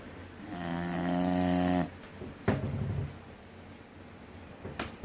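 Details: A 3-year-old female English Bulldog snoring hard gives one long, rattling, buzzy snore, followed by a couple of soft thumps.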